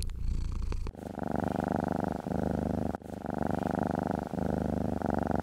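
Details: Pet cat being stroked purrs loudly and close up, a buzzing rumble in long phases broken by short pauses for breath about every one to two seconds.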